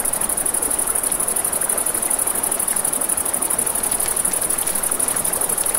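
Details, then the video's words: Crickets chirp at night beside a river, an unbroken shrill rapidly pulsing trill over steady flowing-water noise, with soft scattered crackling of a campfire. "Campfire by the River at Night Ambience | 1 Hour of Crackling Fire, Crickets, Ambient Nature Sounds"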